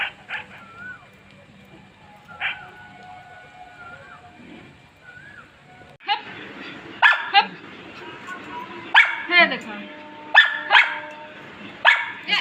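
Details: A Labrador named Molu and a street dog trade sharp, loud barks after a few seconds of soft whines.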